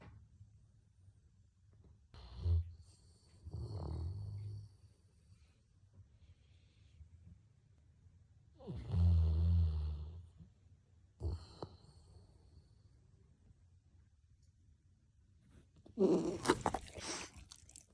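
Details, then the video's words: Simba, a Golden Retriever, snores after a walk with dad. Separate low, rumbling snores come a few seconds apart, the loudest and longest near the middle, with quiet pauses between and a sharp noise near the end. "SIMBA RONCANDO PÓS PASSEIO"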